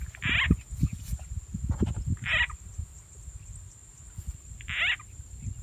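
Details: Frogs heard while being caught in rural Rizal N.E. with a played frog sound; three short, harsh, croaking bursts about two seconds apart over steady low rumbling and handling noise, with a thin constant high whine.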